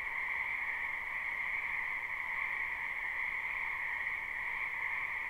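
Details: Frogs in a spring wetland behind a house form a thick, uninterrupted chorus, heard live as a shrill, buzzing, layered drone at two pitches with nothing else audible.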